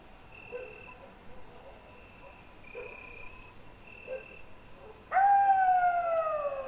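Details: After several seconds of quiet background with a faint steady high tone and soft knocks, a wolf breaks in with a strong, clear howl that slowly falls in pitch until the end.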